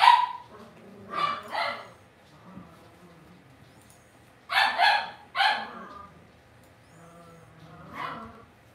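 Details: Cavalier King Charles Spaniel puppies raised indoors in a home puppy pen, giving short yappy barks in scattered bursts, mostly in pairs, with quiet gaps between them.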